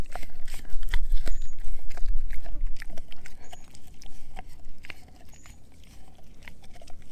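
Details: Edu the German Shepherd mix crunches a dehydrated pig ear treat, with steady loud bites about twice a second at first, fading to softer, sparser chewing in the second half.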